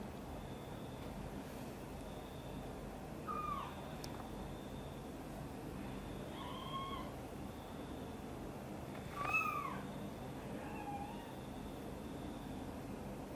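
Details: Indoor domestic mother cat, angry while her kitten is lifted from a box and carried close to her: about four separate short, tonal meows, some rising then falling, spaced a few seconds apart over steady low background hum.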